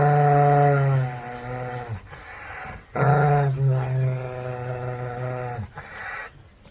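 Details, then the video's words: Angry dog growling deeply and continuously, a low throaty rumble in two long stretches broken by a brief gap, with the pitch wavering slightly. "EPIC ANGRY Dogs Barking"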